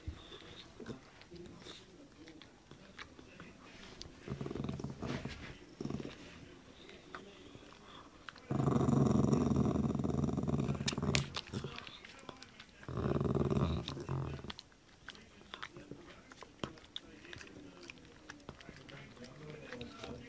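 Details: A grumpy dog guards its meaty bone with a deep, throaty growl lasting about three seconds, then a shorter second rumble. Quieter murmurs and faint chewing-like clicks fill the gaps.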